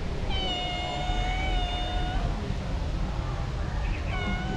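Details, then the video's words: Female street cat crying for food, unable to eat dry food: one long, steady, drawn-out meow of nearly two seconds, then a shorter rising cry at the end, with low rumbling background noise throughout. "The female cat crying asking me for food"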